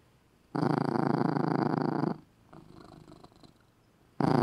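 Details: Cat sleeping in his little red cat bed gives a loud, coarse purr: a long rumbling stretch of about one and a half seconds, a faint softer phase, then the loud purr resumes.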